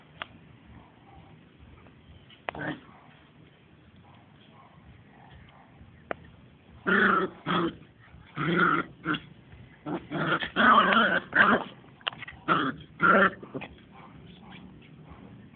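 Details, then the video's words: Playing Smooth Fox Terrier puppies aged two months; after a quiet start with faint background noise, a series of short grumbling growls and yips comes roughly every half second. "2 Months Smooth Fox terriers Playing"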